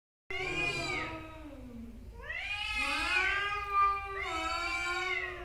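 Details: Angry male domestic cats fighting: long wailing yowls with rich harmonics, sliding up and down in pitch, three drawn-out cries with short gaps, over a low steady background rumble.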